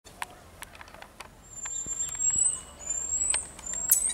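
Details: Marmosets, also called saguis, in Juiz de Fora, Minas Gerais, Brazil: long, thin, very high whistles drawn out over a second or more, slightly sliding and repeated three times, over scattered sharp clicks and faint background chirps.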